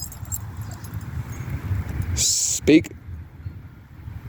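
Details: Rottweiler; bark; barking on command to ask for something it wants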